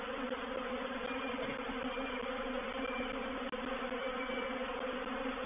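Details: At Painted Peacock Manor on 04/07/21, a reproductive swarm of honey bees moves into a bait hive. A rich, unbroken buzzing drone fills the recording, interrupted by one sharp momentary dropout midway.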